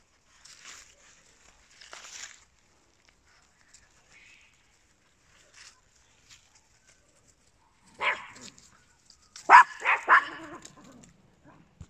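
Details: Papillons and a Yorkshire Terrier, small indoor companion dogs; quiet rustling at first, then a short burst of three or four bright, snappy barks in quick succession near the end.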